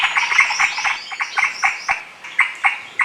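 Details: Shekru, the Indian giant squirrel, chattering from high trees in dense Maharashtra jungle, home handycam recording: sharp harsh notes repeated about four a second, some clustered, others spaced, with short gaps in the series.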